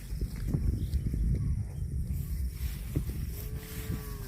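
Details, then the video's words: Cattle grazing on grass: low, steady tearing and chewing noises fill most of the recording, then a short, level mooing tone begins near the end and continues to the close. "CUTE AND FUNNY COW SOUND EATING GRASS COMPILATION - COW MOOING"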